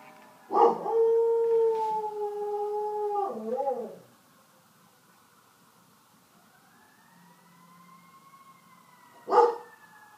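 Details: Meeker, a dog living near a fire station, howls along with fire truck sirens, caught on a phone: one steady, sustained howl of about three seconds ending in a wavering break. Then a faint rising siren tone, and a short knock.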